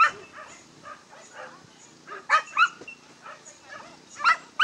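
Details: Yelping from a Basenji taking on the lure course, entry 5 at a Dogs NSW trial on 27 September 2015: soft bursts of yips, then sharp loud yelps with clear tonal ringing near the end, in quiet surroundings.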